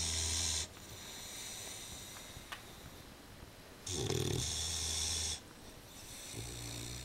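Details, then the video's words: An Old English Bulldog in a slightly small dog basket snores in slow, rasping breaths a few seconds apart. "Snoring sound "Old English bulldog" Leavitt, OEB"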